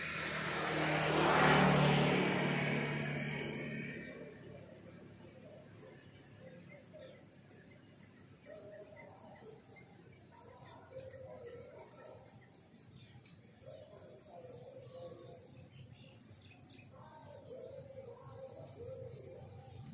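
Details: Crickets chirping in the countryside in the morning: a steady, high-pitched pulsing trill that runs unbroken through the clip, with softer lower chirps beneath. A loud passing rumble swells and fades over the first four seconds.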